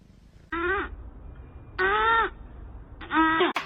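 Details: Domestic cat giving three short harmonic meows, each about half a second long and spaced roughly a second apart, over a quiet indoor background with a sharp click at the end.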